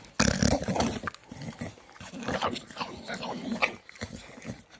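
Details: Staffordshire Bull Terrier making food noises while eating: wet, snuffling grunts and low rumbling growls run almost continuously, with smacking and chewing clicks mixed in, close up in a small room.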